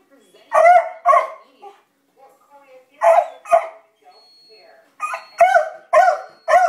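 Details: Beagle Libby barking at dogs seen across the street, in scattered pairs of rough barks separated by brief quiet gaps, ending in a faster string of four barks.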